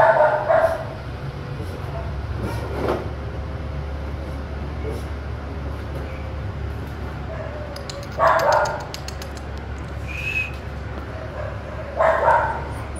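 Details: Young Dogo Argentino pup, one and a half months old, from imported parents, giving three loud rough yaps far apart, with faint softer sounds between them and a constant low hum underneath.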